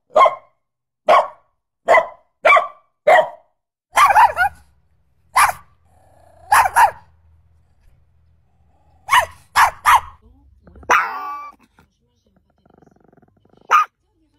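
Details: Chihuahua barking at a cat: a fast run of five sharp yaps, then rougher growl-like barks with a low rumble between them, a pause, and a few more scattered barks.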